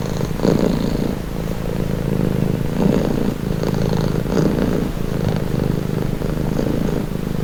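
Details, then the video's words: Relaxing cat purr, a low continuous rumble with gentle breath-paced swells, slightly quieter and softer than a close-up recording, steady for the whole stretch. "Purring cat | Calming Relaxing Nature Sound"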